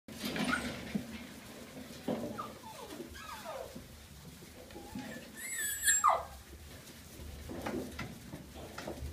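A cocker spaniel gives high, thin whines that slide downward, with brief pauses between them.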